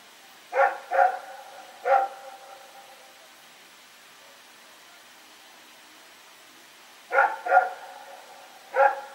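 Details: On the night of September 21, 2018, Rex, a dog running around outdoors, gives a quick double bark and a single bark, falls silent for several seconds, then repeats a double bark and one more.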